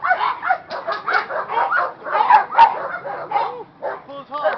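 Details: Agitated young Presa Canario in training, barking in dense overlapping bursts that blur together, mixed with a person's voice, ending with a few separate barks.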